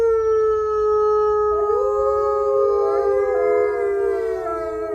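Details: Gray wolves, a captive-born pack of five ambassador wolves, howling together in their main enclosure: several long, smooth howls overlap at different pitches, with new voices sliding in partway through to form a rich layered chorus.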